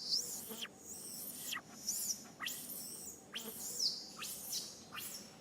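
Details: Young monkey Sariki cries as mother Sarika teaches it 'back style', giving piercing high wails that arch and then plunge downward, about two every second with short gaps, over a faint steady background hiss.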